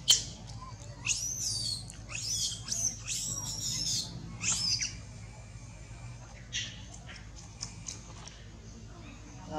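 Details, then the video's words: Little Janna, a young monkey, super angry at another monkey named Angel, cries out a warning: shrill, high squealing screeches, rising and falling, in a burst over the first five seconds, then scattered shorter squeaks. "Janna super angry monkey Angel, She cry warn to Angel"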